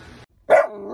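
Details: Playful miniature dachshund gives a single short, bright bark with a bending pitch contour, preceded by a brief quiet stretch of faint background sound.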